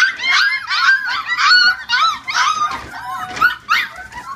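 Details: Young Chihuahua puppies from a 2015 litter give high, wavering whimpers and squeals, each a short arched cry bending up then down, several in quick succession with a couple of voices overlapping.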